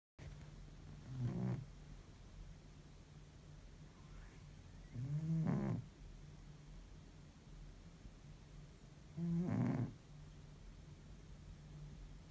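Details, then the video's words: A domestic cat in deep sleep after an exhausting week, snoring like an old man: three low, rough, drawn-out snores about four seconds apart, each a short grating burst, with quiet room hum between breaths. "deep sleep cat snores like an old man"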